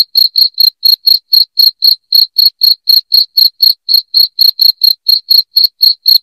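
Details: Loud cricket chirping, offered as a sound to drive rats out of the home: high, pure, evenly spaced pulses about four per second throughout, ringing and metallic, with no other sounds behind them.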